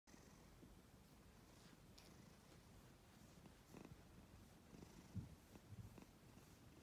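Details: A black and white cat purrs quietly, a low continuous rumble broken by a few soft clicks and rustles near the end.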